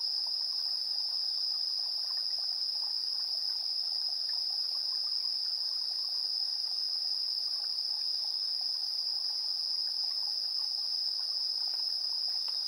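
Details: Insects chirping at 7:04 PM on 3 September 2022, recorded on a TASCAM Portacapture X8 in AB stereo: a steady, dense high-pitched ringing trill holds without pause, with faint scattered lower chirps beneath it.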